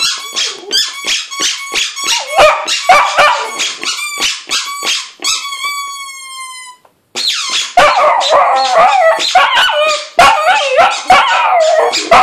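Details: A male Lhasa Apso sings along with his squeaky toy bone, howling in high, wavering yips and drawn-out wails as the toy squeaks.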